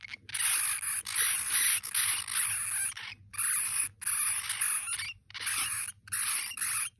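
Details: Baby Djungarian hamsters give harsh, hissing shrieks in repeated bursts after their mother is carried away. One baby raised the alarm and the rest joined in a chain reaction.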